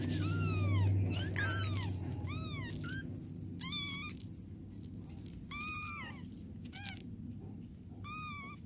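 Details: Kittens being cleaned by their mother cat, who helps them urinate, give about seven high, thin mews in nine seconds. Each arcs upward and then falls away, spaced one to two seconds apart, over a soft low rumble.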